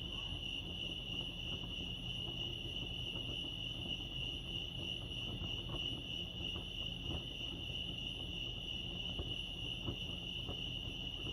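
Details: Crickets chirping at Lake Arrowhead, California, forming a steady, unbroken high-pitched trill that holds one shrill tone throughout, over a soft low rumble.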